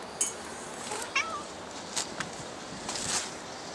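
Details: Cat at Dockyard Garden, recorded August 7, 2016, shortly after 6:15 a.m.: one faint, short meow bending slightly up then down, preceded and followed by soft clicks and scattered bright ticks, with quiet background hiss.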